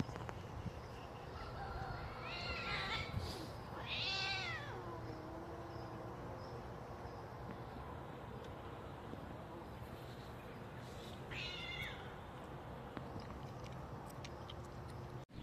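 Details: Quarrelsome cats fighting, turning wild on each other, give wavering, harmonic yowls that rise and fall in two bursts early on, then a shorter, higher wail near the end, over a steady low hum.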